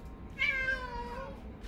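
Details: House cat in a multi-cat home with young and older cats, giving a single clear, drawn-out meow that starts high and slides gently downward, with a voice calling the cats' names nearby.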